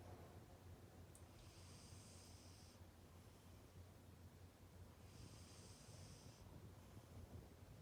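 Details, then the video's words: Pet cat Arang snoring while asleep and apparently dreaming, paw pads twitching; two soft, high whistling wheezes, each about a second and a half long, about four seconds apart, over a low steady rumble. "코고는 아랑이 (snoring cat)"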